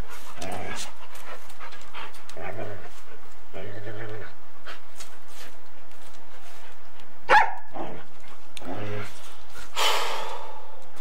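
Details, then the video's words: Golden Retriever and Samoyed at play, bitey face and running after each other, 8mm tape recording; short harmonic growl-whine bursts with pauses, a sharp clack, panting and rustling noise toward the end. "Golden Retriever and Samoyed play Bitey Face and run after each other"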